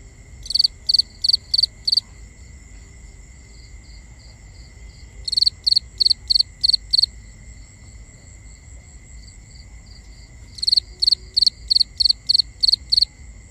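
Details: At night, crickets chirp in bursts of five or six high pulses, repeating every five seconds over a steady buzz.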